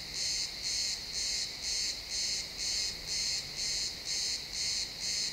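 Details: Cricket chirping in a pine forest at sunset, captured as a realtime XY stereo recording: bright high-pitched pulsed chirps about twice per second, steady and even, over faint woodland ambience.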